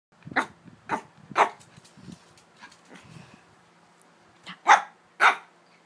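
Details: Three-month-old Shih Tzu puppy barking: short sharp barks in irregular bursts, three near the start and two louder ones near the end, with softer grumbling sounds between in a quiet room.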